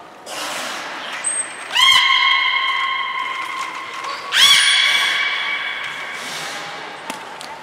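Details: Belugas Hodoi, Gray and Mirai training at Port of Nagoya Public Aquarium on 1 December 2019: two loud whinny-like calls, each starting with a sharp rising sweep and then holding steady, ringing tones, plus a brief high whistle between them.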